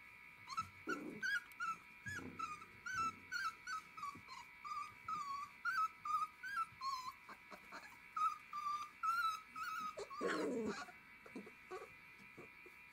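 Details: Galgo Español puppies, a litter 19 days old in a kennel, give rapid runs of thin, wavering whimpers and squeals, roughly two or three a second, over a constant hum with rustling.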